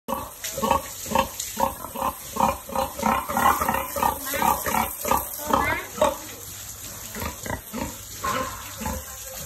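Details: Farm-raised mother pig being cleaned and washed: steady run of short, rhythmic grunts, several per second, over running water, with a person's voice faintly in the background.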